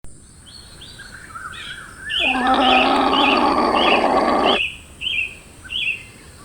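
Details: A llama (Lama glama) gives a steady, buzzy, harmonic-rich call for about two seconds amid chirping birds.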